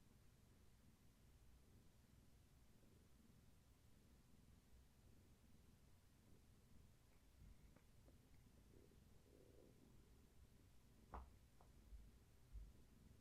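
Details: Gaia, a pregnant long-haired tabby cat carrying many kittens, rests indoors while her kittens move about; soft, steady low rumbling purr runs throughout, with a few brief handling clicks near the end.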